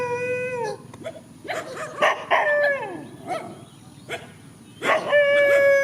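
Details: Dogs confront each other in a countryside field: a steady howl opens, then a cluster of wavering whines and yelps, a quieter gap, and another clear sustained howl rising at the close.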